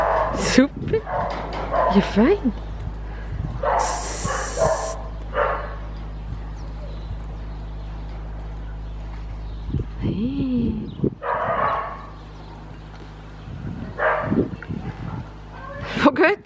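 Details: Three dogs from Cyprus, two of them aged nine and three, give short yips and rising, whining whimpers in bursts, with people talking between the calls and a sharp high bark near the end.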